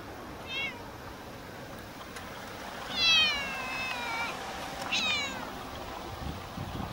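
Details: Chatty female stray cat living in a park car park meows three times: a short call, then a long drawn-out wavering meow, then a brief higher one, each harmonically rich, over low outdoor background hiss.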